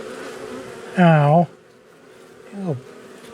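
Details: Angry honey bees from a long-time wall colony during a nighttime cutout rescue on March 6: one loud low buzz sweeps past near one second, a softer falling buzz follows, over a faint hum.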